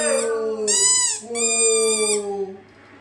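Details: Siberian Husky howling, set off by a squeaky toy: two smooth, slightly falling drawn-out howls rich in harmonics, the second longer and fading out near the end.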